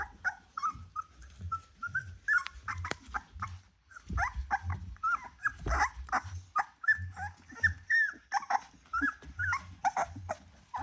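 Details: A litter of ten Rottweiler puppies, 24 days old, whine and squeak in thin, high, overlapping cries.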